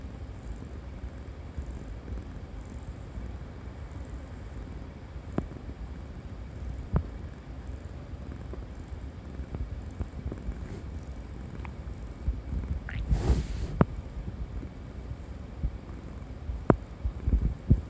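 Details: Tabby cat purr: continuous deep, even rumble with occasional faint ticks, broken near the middle by a short rustling burst, then settling back to the low hum.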